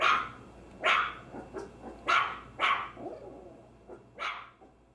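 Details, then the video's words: Maltese terrier barking: sharp, bright barks about once a second, with softer, shorter yaps between the louder ones, against a quiet background. "Maltese Terrier Dog Barking Sounds"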